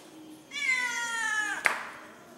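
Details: Domestic cat from a household's pet cat family, disturbed by a strange outside black cat; one long, harmonic, drawn-out meow lasting about a second, ending in a sharp click.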